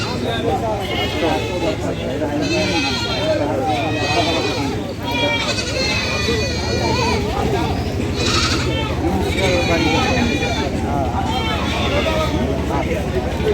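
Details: Goats at a livestock market crowded after Eid: several wavering, quavering bleats with rich harmonics rise above constant crowd chatter and people talking, with a steady low hum of market noise throughout.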